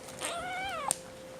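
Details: Madeline Rose, a petite 5-week-old female Seal Point Himalayan kitten, weaning and described as spoiled, screams while looking at a person: one drawn-out, harmonic-rich meow, briefly rising then sliding downward, over a faint steady indoor hum.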